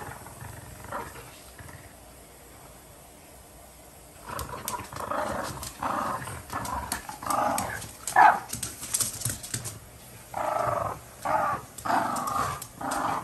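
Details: Several French Bulldogs fighting over a toy duck: quiet for about four seconds, then rough, rasping growls in bursts of roughly a second each, repeated unevenly with short gaps between them.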